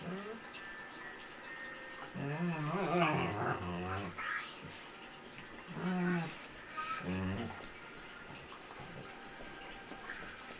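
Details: Dog indoors as a tiny three-pound Chihuahua puppy pesters a German Shepherd that is trying to sleep; low grumbling growls with whiny rises in three bursts, the longest near the start, in a quiet small room.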